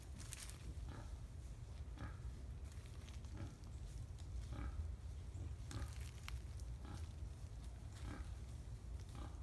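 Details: Wild boars recorded on 5 November 2015 at Tampa: short, rough grunts repeated every second or so at an uneven pace, over a constant deep rumble and some crackling noise.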